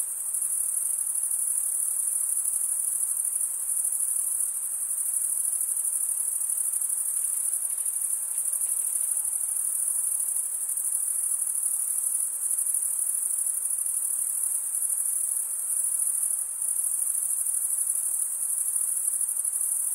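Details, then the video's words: Male crickets stridulating, rubbing one wing along the toothed vein of the other: a dense, unbroken high shrill trill that holds steady in pitch and loudness throughout, with a faint low hiss underneath and no other sounds. "Most relaxing cricket sound for 8 hours"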